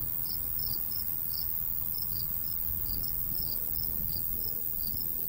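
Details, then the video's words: Summer countryside crickets near a golden wheat field, giving thin high-pitched chirp pulses in quick irregular bursts, with a steady low wind rumble beneath. "Countryside/cricket sounds"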